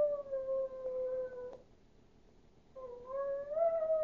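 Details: Duke the Chihuahua howling: a clear held note slowly sagging for about a second and a half, ending with a faint tap, a quiet gap, then a fresh howl rising steadily upward in pitch.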